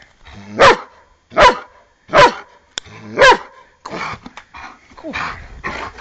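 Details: Bart, an eight-year-old Giant Schnauzer, barks while playfully attacking a foot, still playing like a pup; four loud, evenly spaced barks open, then softer growly yips, with a person urging him on.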